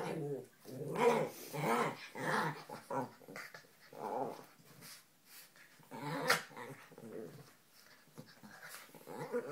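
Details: Lhasa Apso and Italian Greyhound at play together indoors, giving uneven bursts of soft growls and whimpering grumbles, with a sharp scuffle or knock near the middle and quieter stretches between.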